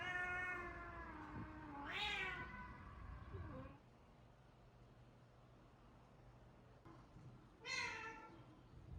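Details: Cat at a shelter in Japan set up in a closed-down school, giving a long, drawn-out meow that bends up and then falls over about four seconds, then a shorter second meow after a quiet pause.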